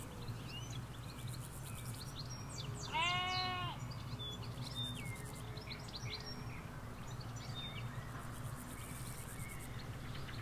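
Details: Sheep, ewes with their lambs, in a field in the Hampshire countryside, recorded from partway along a hedge away from a road: one wavering, quavering bleat lasting under a second, with small birds twittering throughout over a low road rumble.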